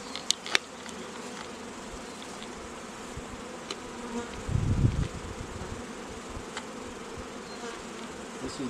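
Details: Steady droning hum of honey bees in an apiary raising queens, with a louder thumping rumble midway and sharp clicks near the start.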